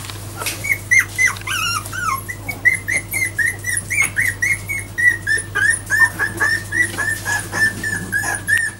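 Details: Four-week-old Jack Russell Terrier puppies that have just begun walking give high, thin whines repeated roughly three to four times per second. The whines come in a steady, pulsing run with a few sharper yelps near the start.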